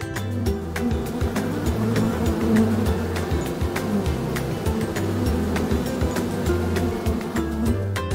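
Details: Honey bee buzzing: a continuous low, droning hum with a fluttering texture that runs unbroken, mixed with a background music track.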